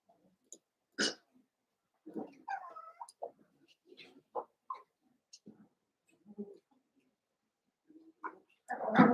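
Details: Eight Cavalier King Charles Spaniel puppies playing indoors after a litter of six is merged with two pups from another litter. The clip holds scattered short squeaks, thin rising whines and soft grunts with quiet gaps, ending in a louder, broad scuffling burst.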